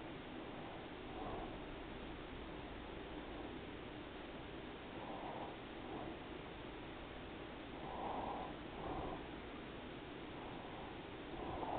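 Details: Daisy, a pet cat, resting after a long day of eating and sleeping, purrs softly in rhythmic swells that rise and fall about once a second, quiet against a steady background hiss.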